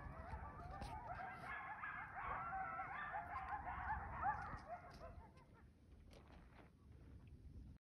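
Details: Coyotes in a canyon beside Lake Mead, Nevada, on a winter day join in a chorus of wavering howls and high yips that echo in the distance, then break off and leave only wind.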